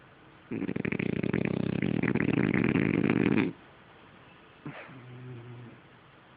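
A French Bulldog snores with a long, fluttering rattle of rapid throaty pulses.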